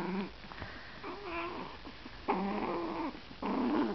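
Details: Chihuahua puppies play-fighting in bed; drawn-out nasal whines and rough growly vocalizations come in bursts, with a longer grumbling call near the end.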